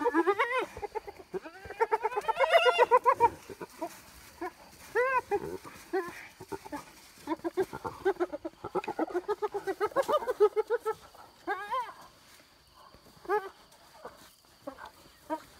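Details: Several wild hyenas fighting over an impala carcass stolen from a leopard and her cub near Selati Camp: loud rapid giggling and whooping cackles, rising and falling squeals, bursts of chattering rolls with short pauses.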